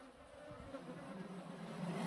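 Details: Honey bee swarm that had left its colony, being moved by a beekeeper into a modern hive; a low steady hum builds toward the end over rustling and handling bumps.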